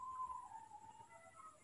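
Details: Newborn baby monkey at night, hand-reared and just picked up, gives one soft whistled call that holds steady then slides gently downward for about a second and a half over a faint hiss.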